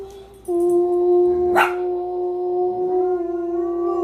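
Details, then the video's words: Pet dog howling in a long steady sustained tone that holds one pitch for several seconds, with a brief sharp bark in the middle and a second voice joining near the end. "My Dogs Singing, Barking & Howling"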